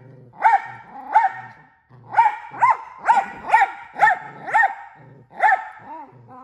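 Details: Rapid barking from a male miniature Australian Shepherd said to bark more than once a second, with about nine loud, clipped barks in quick, slightly uneven succession.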